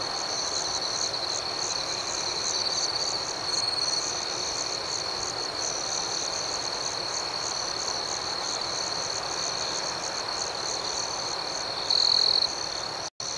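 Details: Crickets chirping in the dark, a constant high trill with softly pulsing upper tones, a faint stronger phrase near three seconds and a loud buzzy burst near twelve seconds before a brief dropout.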